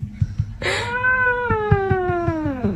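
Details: Cat caterwaul: one long, strained, harmonic yowl that holds steady and then slowly falls in pitch over about two seconds, with faint tapping or clicks beneath.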